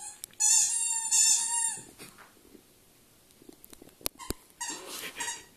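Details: Two long, loud, high-pitched whines from Nea, a household Welsh Springer Spaniel, open the recording, followed by quiet rustling, a couple of sharp knocks and a final noisy scuffle.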